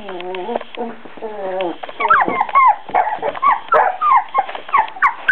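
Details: Four-week-old Beagle puppies: a low, steady, harmonic voice-like drone opens, then gives way to a busy run of high, squeaky whimpers and short yips, rising and falling in quick overlapping bursts.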